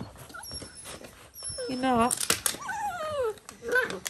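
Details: Dalmatian puppies indoors: a drawn-out whimper slides downward for about half a second, coming right after a burst of human speech, with faint high squeaks and room noise around it.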